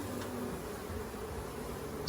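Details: Honey bees in a hive during a beekeeper's first inspection, with a smoker lit and frames lifted out in the search for the queen: a steady, low, diffuse buzzing hum under soft background hiss, without breaks.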